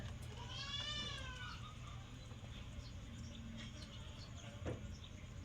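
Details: Raised domestic goat heard faintly in a single quavering bleat lasting about one second, then a quiet stretch with soft clicks and a low background hum.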